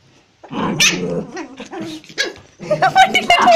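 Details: Angry barking from a toy Pomeranian, an eight-week-old pet puppy in Kathmandu, Nepal: quiet start, then harsh, sharp yapping barks in an uneven burst, then a rapid cluster of high, strained barks toward the end.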